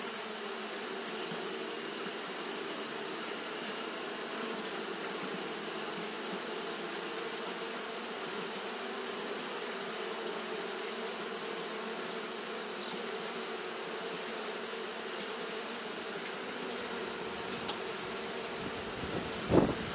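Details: Steady collective drone of Japanese honey bees fanning through a hot day, an unbroken buzzing hum with a high airy hiss that shifts slightly in pitch partway through, and a brief louder thump near the end.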